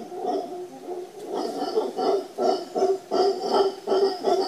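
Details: Howler monkeys at Papagayo Peninsula, Guanacaste, Costa Rica, giving deep, throaty roaring grunts in a rapid, pulsing series.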